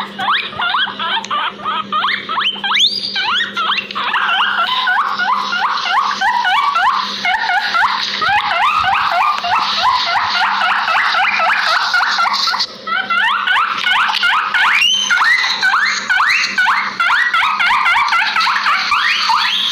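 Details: Two guinea pigs, about 2 years old and raised together since babies, wheek in a loud, unbroken stream of shrill, rising squeals in a backyard.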